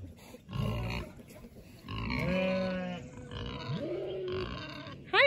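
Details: Aberdeen Angus cow and calf waiting at a farm gate in the morning: drawn-out, low mooing calls, one with a rising, groaning pitch, with a person's voice and high-pitched background sounds.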